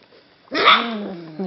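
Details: Golden Retriever puppy, indoors with littermates and just starting to wake up, a ribbon caught around its leg, gives one drawn-out whimpering yelp that starts sharply, then slides down and trails off over about a second, with a soft voice nearby.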